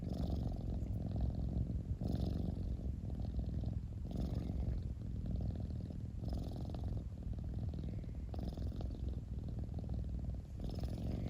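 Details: Cat purring continuously in a low, throbbing rumble, the rhythm tied to breathing with about six cycles, soft breathy hiss between exhalations, recorded very close.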